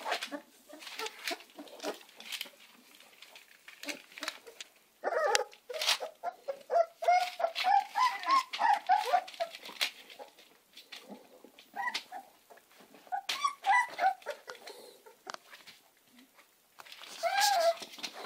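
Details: Amstaff puppies give a run of thin, squeaky whimpers, some rising and falling in pitch, several puppies calling at once. The cries cluster mid-clip and again near the end, with soft rustling in between.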